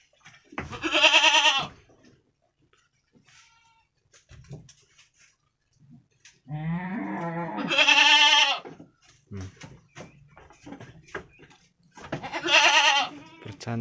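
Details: Two week-old brown Jawarandu goat kids at play inside a pen, recorded 6 November 2021: three loud, wavering, nasal bleats, each about a second long, spaced several seconds apart, with brief human voices and rustling between.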